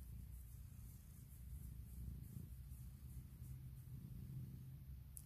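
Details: Pet cat Puk purring while asking for morning cuddles and kisses at her owner's bedside; a low, even rumble continues throughout, slightly softer and less distinct, with a faint click at the very end.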